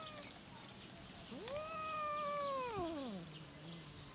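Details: A hungry domestic cat gives one long, drawn-out meow that rises, holds steady, then slides down, asking for food.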